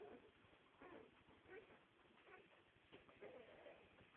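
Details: Nine-day-old Staffordshire bull terrier puppies giving short, faint, high squeaks and whimpers at irregular intervals over a steady noisy background with soft rustling.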